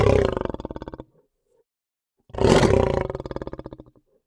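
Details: Lion delivering two deep, throbbing roars, each a pulsing rumble lasting over a second with rapid rhythmic pulses, separated by a short silence.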